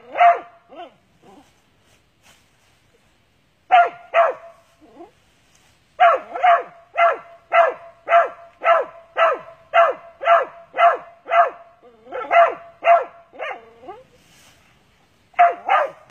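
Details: Mountain Cur on a Texas squirrel hunt barking hard: bursts of rapid, sharp barks about twice per second, the longest run lasting six seconds, separated by brief silences.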